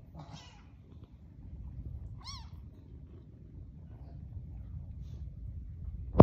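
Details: Kitten with its mother cat: two short, high, rising-and-falling meows about two seconds apart over a quiet low hum, then a sharp click at the very end.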